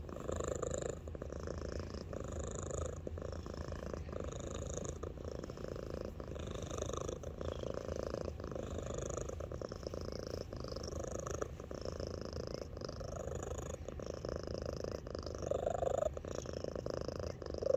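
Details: Pet cat Alani, weighing 8 lb, purring loudly on 3/13/23, often adding melody; continuous deep pulsed purr with recurring faint higher tonal wisps over it, breath pauses roughly every two seconds.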